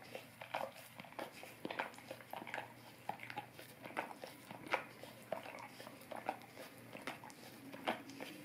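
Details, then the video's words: Indoors, a golden retriever licks at an Orapup tongue cleaning brush; soft, scattered wet clicks and slurping laps, quieter and more spaced out, with short gaps between bursts in a hushed small room. "Golden Retriever Licking Orapup Tongue Cleaning Brush"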